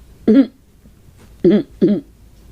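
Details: A female Pomeranian begs for her owner's soup with short, nasal, squeaky yelps, one followed by a quick pair; the owner says she sounds like a dolphin partway through.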